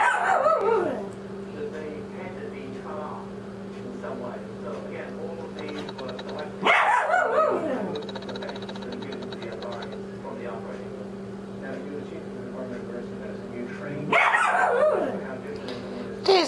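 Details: Pet dog barking at her squeaky ball, seemingly for fun: three short, harsh, strongly harmonic barks spaced about seven seconds apart over a steady low indoor hum.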